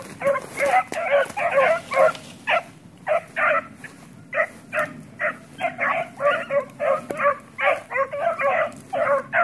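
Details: Pups being played with at home break into rapid, excited yipping barks, some clustered tightly and others spaced out, with a brief quieter gap midway.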